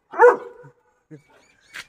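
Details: German Shepherd kept as a household guard dog; one loud, short, rough bark followed by two much softer brief sounds, then quiet.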